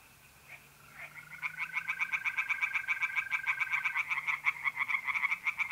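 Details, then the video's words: Night chorus of tree frogs in a pond in North-East Italy, mid-April: quiet at first, then fast rattling pulses build after a second and continue, with a mole cricket's even trill running underneath for several seconds. "singing tree frogs in pond"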